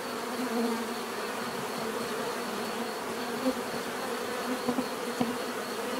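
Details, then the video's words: Natural bee buzzing: a steady low hive-like drone with a faint pulsing high tone, broken by a few short clicks and brief nearer buzzes. "bees therapy relaxing natural buzzing sound"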